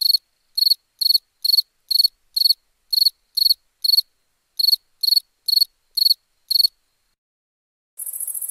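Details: Crickets chirping at nighttime: sharp, high pulsed chirps about two per second, a brief pause near the seventh second, then a steady high hiss at the very end.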